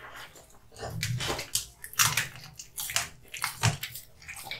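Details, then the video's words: Wet, sloshy chewing from Kotetsu, a male American Bully (Pit Bull), working on hung raw meat and bones; squelching bites and slurps come close together, with sharper crunches about once per second. "MUKBANG ASMR Dog eating hung raw meat and bones"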